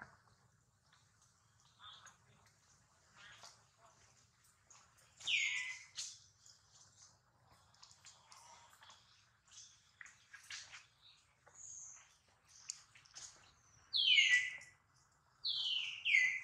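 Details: Baby monkey Duke, hurt and watched over by his mother Duchess, cries in sharp descending squeals that grow louder toward the end, amid quieter chirps, clicks and a low hum.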